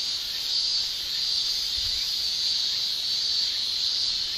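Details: Cicadas in a Japanese summer, their shrill tymbal song forming a steady, dense high-pitched hiss that barely wavers in loudness, with no other clear sounds.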